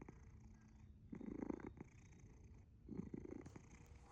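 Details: A dozing cat, Asher, purrs with a faint low hum broken by two louder raspy bursts, each rumbling breath lasting about half a second, heard close up indoors.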